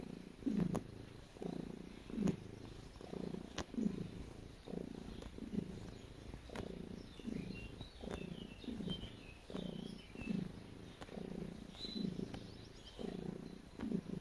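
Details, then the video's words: Domestic cat purring while kneading, a calming and relaxing scene: low rhythmic purr in steady pulses, each breath cycle roughly every second and a half, with faint higher rustling above. "Cat Making Biscuits And Purring"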